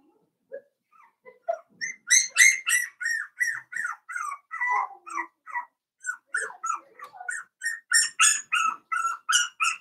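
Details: In a pen, four-week-old Cavalier King Charles Spaniel puppies of Daisy's litter whine and yip almost continuously: sharp, high squeaks, some bending downward, coming several per second after a few soft opening peeps.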